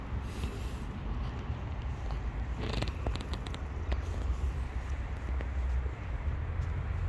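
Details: Homeless tabby cat living on the street, purring steadily in a low rumbling drone that fills the whole clip, with a few faint clicks and rustles over it.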